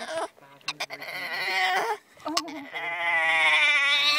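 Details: A female Boston Terrier whines in drawn-out, wavering, bleat-like cries, upset because she can't have her frisbee.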